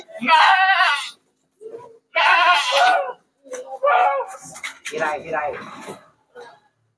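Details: Goats being shipped at night to the city of Jambi, sixty animals in one consignment. Wavering, quavering bleats each last about a second and repeat, mixed with shouted human voices and brief shorter cries.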